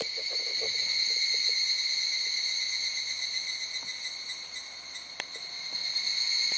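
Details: Evening cicadas (Tanna japonensis, higurashi) chorus in a steady, ringing high-pitched drone without a break, at Zao Echo Line, Miyagi, Japan.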